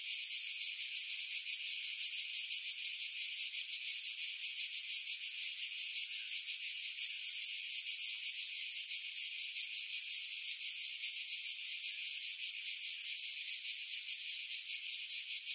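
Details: Cicadas calling in summer pines above the sea on Skiros Island, Greece, July 2018, recorded with a Sony RX3 and external microphone; a dense, hissing high drone throbbing rapidly and steadily, wind buffeting removed by heavy filtering.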